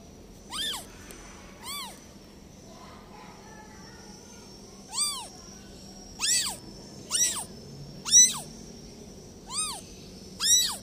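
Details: Repeated high-pitched mewing from a newborn kitten abandoned by its mother cat. Nine short, sharp, rising-then-falling cries come at irregular intervals, bunching closer together toward the end, over a faint steady whine.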